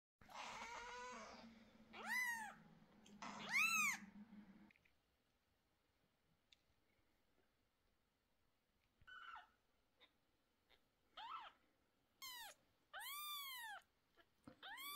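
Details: Mother cat growing nervous while her two 11-day-old kittens have sore eyes treated with medicine. Loud arched, harmonic-rich cries open the clip over a low hum, then a quiet gap, then a quicker run of shorter rising-falling calls.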